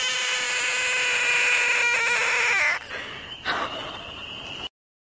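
A frog gives a long, strained, harmonic tone that drops away after nearly three seconds.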